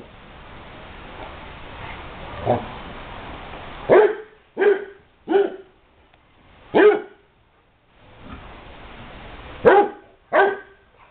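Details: Basset Hounds at a kennel give a run of deep, resonant barks in short, uneven bursts during play.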